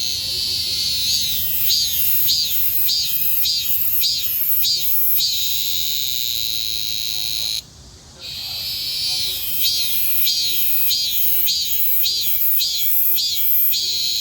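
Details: High, rasping cicada cry pulsing rhythmically about twice a second, interrupted by a short quiet gap, then returning with the same throbbing, wavering buzz.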